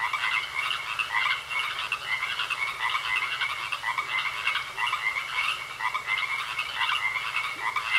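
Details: Many frogs croak together in a pond, a dense, steady chorus of pulsing, high-pitched trills.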